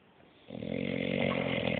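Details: An English Bulldog named Bruce, sleeping deeply, lets out a single snore that swells from silence into a loud, rattling drone for over a second.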